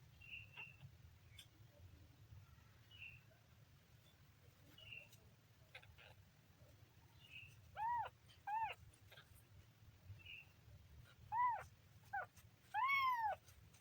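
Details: Young kitten mewing: four clear, high, down-curving meows spaced a second or more apart, the last one longest and loudest, after a quiet stretch with faint clicks and soft squeaks.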